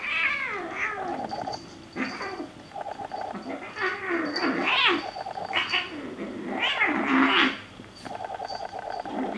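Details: Two Bengal kittens, Xena and Gabbi, play-fighting or fighting indoors: drawn-out yowls that rise and fall, overlapping wails and growling between bouts of a low, buzzy, rapidly pulsed rattle that starts and stops.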